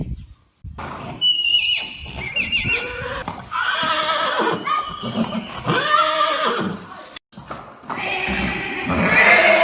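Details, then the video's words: Arabian horse neighs: thin high whinnies early on, then longer rough calls that rise and fall in arched bands, with breathy and scuffling sounds mixed in. "صوت صهيل الحصان"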